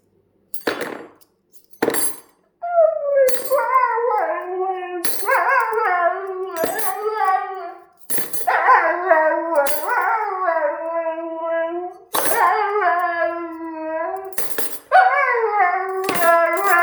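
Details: Siberian Husky howling in response to the clatter of cutlery: long wavering tonal howls rising and falling, broken by sharp metallic clinks of utensils between phrases.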